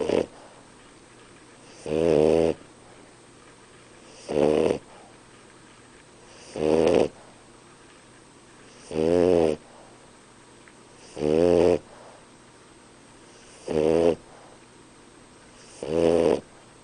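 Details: Nino, a sleeping French Bulldog, snoring: rough, buzzing snores repeated about every two and a half seconds, each lasting around half a second, over a steady quiet background hum.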